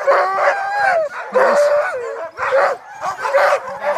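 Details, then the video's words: Sled dogs barking and yelping in a series of loud, harmonic barks with rising and falling whines between them, several voices overlapping, roughly one burst every second. "Sled Dogs Barking"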